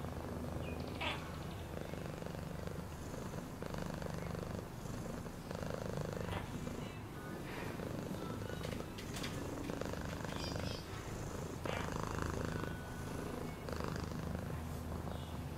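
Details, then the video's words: Pet cat purring steadily, a low buzzing rumble rising and easing with each breath, dotted with scattered faint clicks and rustles. "Cat purring sound"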